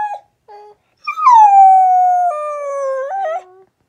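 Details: Rat Terrier–Aussie mix dog giving two short yips, then one long drawn-out howl that starts high, sinks slowly and ends in a wavering, broken tail.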